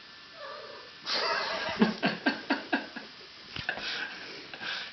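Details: Pet cat singing to its owner, a string of short rhythmic yowling meows repeated about every quarter second, then a few softer cries, followed by a person's praising voice.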